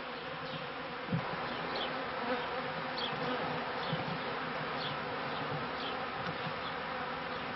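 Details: Kept honey bees at the end of the 1995 season into 1996, a dense steady hum of many wings with layered low droning tones, brief louder passes near the start and faint higher chirps scattered throughout.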